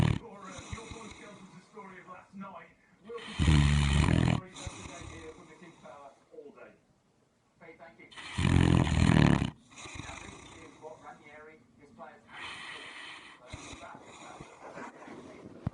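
A Great Dane snores in deep, rumbling breaths, two loud rattling snores standing out above softer breathing.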